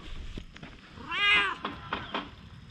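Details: Friendly stray cat, once cautious, now bold and seeking affection, recorded with a GoPro HERO8. A single clear, bright meow swells and fades in the middle, with faint rustling and handling noises around it.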